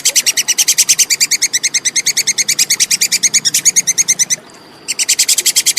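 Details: Plantain squirrel, known locally as tupai kekes, in a clear recording for teaching songbirds: rapid, evenly spaced, piercing clicks pour out continuously, pause for under a second, then start again at the same brisk pace.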